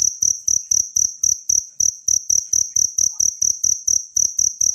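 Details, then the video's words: Cricket from nature, offered as master audio for training songbirds: crisp, high metallic chirps in a rapid, even beat of about four per second, with clean gaps between them. "suara jangkrik alam"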